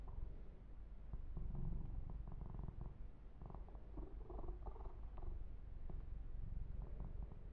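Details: Yumak, a male kitten kept as a pet, purrs steadily while massaged and groomed, recorded ear to ear; a soft rumbling purr with rhythmic rubbing and light scratching noises over it.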